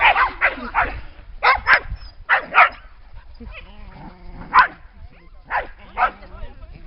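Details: Lakeside dogs at Lida Nature Reserve on a summer day bark in quick pairs and triplets, with a stretch of human speech in the middle before more single barks.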